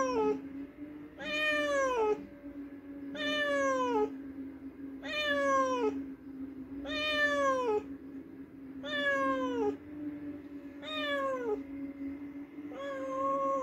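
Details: Cat meowing after hunting a mouse, with drawn-out, falling meows repeated roughly every two seconds, about seven in all, over a steady low electrical hum.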